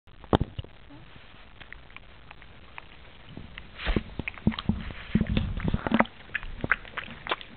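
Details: A pet pug eating a peanut while someone lies on the floor nearby; wet, squishy smacking and sharp clicking chews come in irregular bursts, busiest toward the end.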